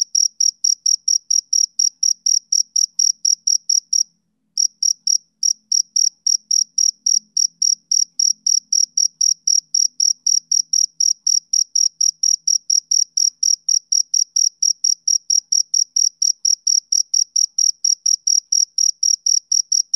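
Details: Cricket, male, chirping in a long, even series of sharp high pulses about three a second, with one brief pause near the fourth second and a faint low rumble in the background midway.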